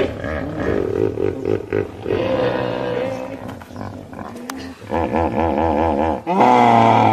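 Deep, resonant hippopotamus honks and groans, building into a rapid pulsing series of bellows.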